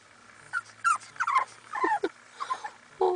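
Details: Dogs kept waiting in a van that broke down on their daily drive, seeming sad; soft broken whimpers and whines in several short bursts over a low steady hum.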